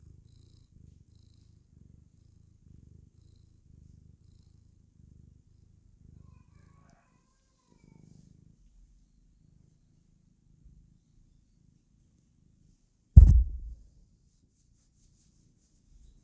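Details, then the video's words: A female pet cat purring while happy and clowning around: a soft, low, steady rumble pulsing in regular bursts for about seven seconds, fading, then a single sharp loud knock near the end. "Kitty Cat is happy when she clowns around"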